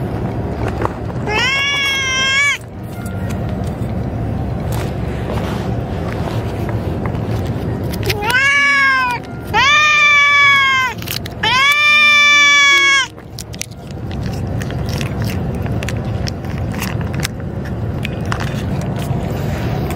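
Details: Female cats in a colony threatening each other while being fed: drawn-out, wavering yowls, one early and then three close together, over a steady low rumbling background.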